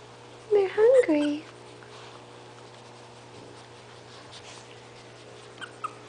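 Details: One of Bitsy's five 20-day-old puppies, indoors, waiting for their mother to feed them: a quick cluster of squeaky, wavering whimpers lasting about a second, then near quiet with faint rustling.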